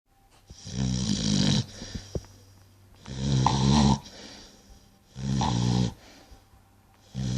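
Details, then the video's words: Sleeping pet dog snoring, three long rasping snores with low harmonic rumble about every two seconds, each roughly a second long, quiet breathing gaps between. "Snoring dog"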